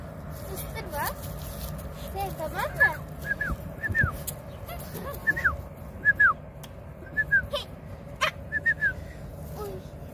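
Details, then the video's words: Kangal puppies, two of them named Meydun and Leyla, recorded 20 March 2024: short high whimpers, each a quick falling whine, come in scattered bursts over a steady low hum, with a person talking in Turkish between them. "yavru köpek, yavru kangal"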